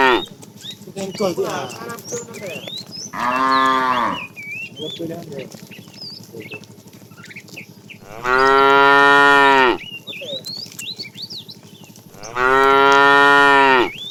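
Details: A fat tame cow in a herd being driven in the afternoon, said to be calling the female: three long, loud harmonic moos about four seconds apart, each roughly a second long, with chirping birds between them.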